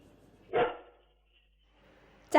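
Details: A domestic dog gives two sharp, harsh barks to defend its territory and warn of something untrusted approaching or intruding.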